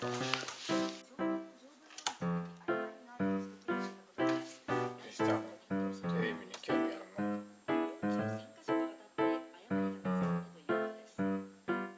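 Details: Light background music of repeated keyboard notes with faint indoor noises and no clear animal voice.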